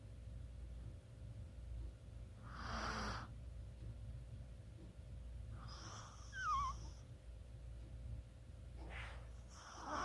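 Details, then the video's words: Chihuahua asleep, recorded 24 October 2020, snoring softly: three breathy hisses a few seconds apart, one with a thin squeaky whistle sliding downward, against a constant low background hum. "치와와의 코골이"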